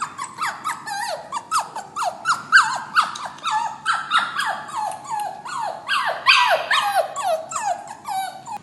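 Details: Puppy crying in a cage as it prepares to leave for its new home: continuous rapid falling whimpers and squeaky yelps, closely packed and uneven, without pause for over eight seconds.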